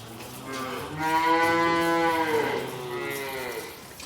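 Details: A calf in its calf shed at bucket-feeding time gives a long, drawn-out moo, strongly harmonic and steady, then a second softer bawl.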